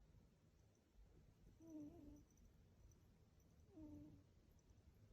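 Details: Sleeping cat snoring softly: two quiet, low rasping breaths about two seconds apart over a faint steady background hum.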